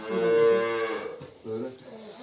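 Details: Simmental cow, part of a pair inseminated with imported breed semen after silent heat and vaginal device treatment; one full, steady moo for about a second, then a shorter, softer lowing sound.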